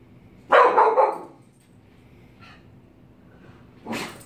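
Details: Pet dog barking at a mask it is afraid of: one loud, harsh, noisy bark lasting about half a second, then quiet, and a second bark near the end.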